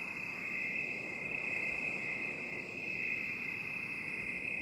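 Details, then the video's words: Crickets in binaural 8D sound: an unbroken, shrill, high-pitched trilling drone that holds steady throughout, with no separate chirps and a soft low hiss beneath. "8D CRICKET SOUND"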